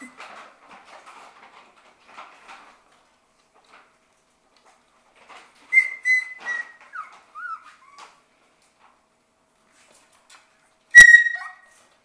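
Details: Shetland Sheepdog puppies, six weeks old, at play indoors in their play room; faint scratching gives way to thin whistled whines sliding downward, a few short squeaks, then a single sharp high yelp after a pause.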